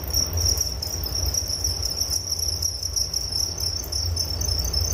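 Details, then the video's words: Crickets chirping for relaxation: a high, rapid, slightly uneven trill running throughout, softer upper overtones, and a noticeable low rumbling background noise. "Suara Jangkrik Penghantar tidur || Nature Sound of Crickets"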